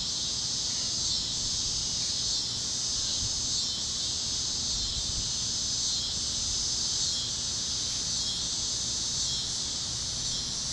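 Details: Cicadas chirping at sunset over Kansas fields on a warm evening on the great plains: a dense, steady high-pitched buzzing chorus that swells gently about once a second, with a low rumble underneath.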